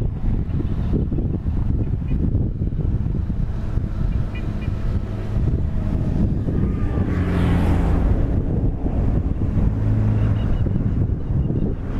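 Steady low rumble of wind buffeting the microphone, with a swell of broadband noise around the middle; no animal calls stand out.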